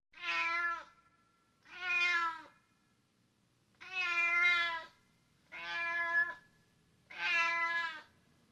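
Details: Cat meowing five times, each a drawn-out, rich, nasal mew lasting about a second, spaced roughly every one and a half seconds in a quiet room.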